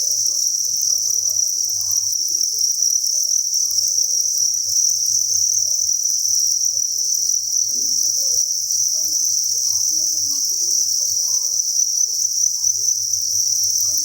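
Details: High, continuous chirping from a great mass of crickets at a breeding farm, steady and unvarying, over a soft pulsing low hum and occasional faint background sounds.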